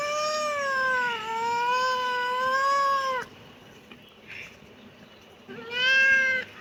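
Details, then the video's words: Kitten giving a long, loud, tonal meow of about three seconds that dips slightly and holds steady, then a short pause and a second rising meow near the end. "kitten meowing"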